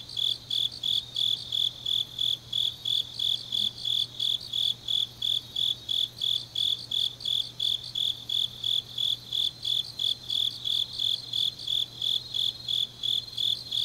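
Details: High-pitched rhythmic chirps of grass insects on a late autumn night in Changnyeong, Korea, pulses evenly spaced about three per second, overlapping a softer second chorus, with a quiet low hum throughout.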